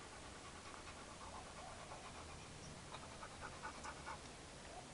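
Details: Chad, a hyperactive four-year-old Labrador Retriever, panting rapidly at about 140 breaths a minute, a steady huffing rhythm of soft breathy pulses against a hissy background.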